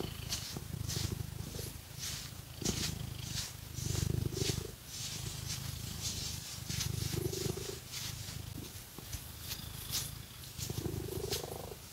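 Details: A domestic cat purrs loudly while being scratched with fake nails, a deep throbbing drone swelling on each breath roughly every three seconds, mixed with bright raspy nail scratches.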